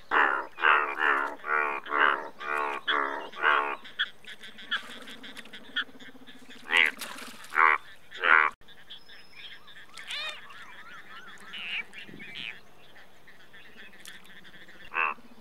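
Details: Indian bullfrog, the largest frog species in India; a run of loud, harsh, nasal croaks repeated about every half second for four seconds, then scattered croaks and softer calls from other frogs in the background.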